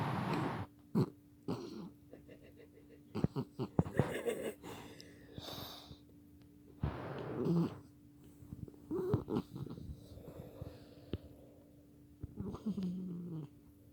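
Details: Domestic dog snoring while dreaming; irregular rasping, snorting breaths in bursts a few seconds apart, some clustered quickly, over a steady low electrical hum.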